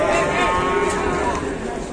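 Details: Agitated cow being unloaded from a truck at an Indonesian cattle farm, giving a loud drawn-out moo that bends downward then holds steady, with crowd noise and background clatter throughout.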